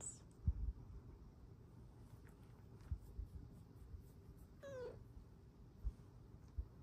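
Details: A female Snow Lynx Bengal cat perched on her owner's lap gives a single soft, falling meow, asking to cuddle.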